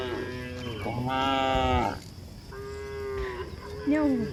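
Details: Cows walking on a hill in a rural setting, mooing repeatedly: several harmonic lowing calls of about a second each, some steady and some bending upward at the end, overlapping calls from more than one animal.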